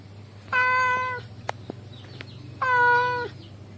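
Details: A male cat calls to a female with two long, steady, flat-pitched meows about two seconds apart, separated by a few faint clicks, over a low constant hum.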